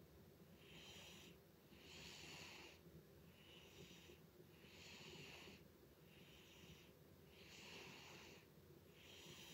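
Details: Butters the cat snoring loudly indoors: hissy, wheezy breaths in a steady rhythm, each rasping burst about a second long with short quiet gaps between, in a small quiet room.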